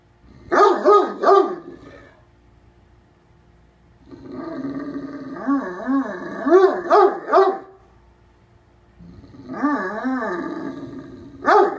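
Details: Deaf Great Dane indoors at bedtime, barking and grumbling at a cat to get off the bed: clusters of deep, harmonic barks mixed with long, wavering growl-moans, three bouts separated by pauses.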